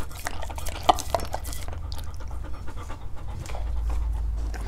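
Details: Dogs trying to eat various fruits, breathing in quick broadband puffs of panting, with scattered clicks and chewing noises over a steady low hum indoors.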